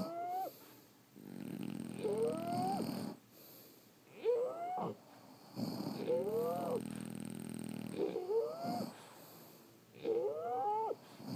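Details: French Bulldogs sleeping and snoring steadily, each breath roughly every two seconds bringing a whistling, rising squeak layered on a low, grumbling rattle, with short hushes between breaths.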